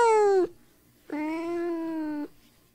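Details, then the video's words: Cat calls played to excite dogs: a short falling meow, then after a pause a longer, steady, level drawn-out meow, both clear and tonal in a quiet room. "RUMORI GATTI PER CANI"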